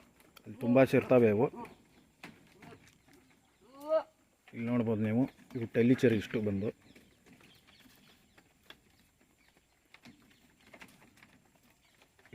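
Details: Farm-kept Tellicherry goats, a breed named as a favourite in Tamil Nadu and Kerala, give three quavering bleats of a second or less each. A short rising squeak sits between them, against faint farmyard background.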